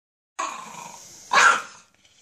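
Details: Princy, a 12-year-old Miniature Pinscher kept as a spoiled house pet, gives a harsh, drawn-out growl that breaks into one sharp, loud bark, with a man's voice speaking just after.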